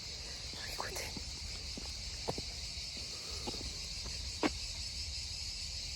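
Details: Cicadas in chorus near a horse riding arena, heard while walking in the shade: a steady high-pitched hiss running unbroken beneath faint voices and footsteps.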